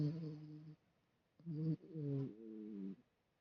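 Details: Sleeping dog Fu-chan snoring indoors: three low, droning, tonal snores, the first lasting under a second, a short second one, then a longer steady drone of about one second, with quiet pauses between.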